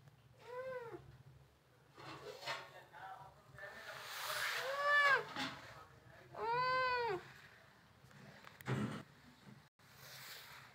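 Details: Kittens playing with bangles, giving clear rising-falling meows, one short near the start and a longer one near the middle, with rustling and clinking between calls.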